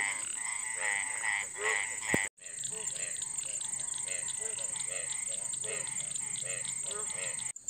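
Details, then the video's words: Several Indian frogs calling at night in a quiet rural setting during the first rains: short pulsed croaks repeated rapidly and overlapping, with a steady high insect hum throughout and a sharp click near two seconds. "Frog sound _ Amazing sound of Indian frog _ मेंढक जब रात में आवाज करते हैं तो कैसे करते हैं"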